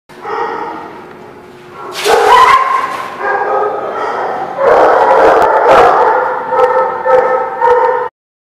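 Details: Dogs at a barking lot, recorded 4/10/17, several voices joining in loud, sustained howling and barking that swells and overlaps for several seconds.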